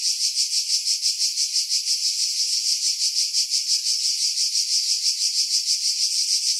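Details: Summer cicadas in hillside pines 50 m over the sea at Pefkos Bay, Skiros Island, Greece, July 2018; high sizzling buzz throbbing in even pulses roughly three times a second, heavily filtered to remove strong wind.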